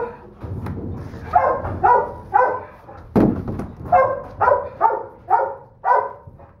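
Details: Tiny female Doberman Pinscher pup, third pick of the litter, keeps up shrill repeated yaps near two per second, broken early on by a low rumble and a single sharp thump like a slam.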